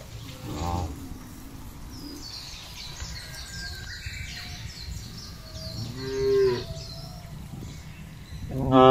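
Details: Tame cattle grazing loose on village fields for fattening give a soft moo early on, then a clearer drawn-out low at about six seconds. Another call begins at the end, and birds twitter steadily throughout.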